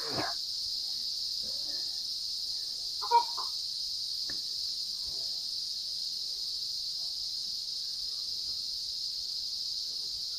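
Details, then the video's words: Cicada (kuliglig) calling up in the trees behind a house, starting around midday: a steady, high, unbroken buzzing drone throughout, with a few faint knocks and one brief sharp sound near the start and middle. "Yung tunog ng kuliglig. Kuliglig ata yan eh."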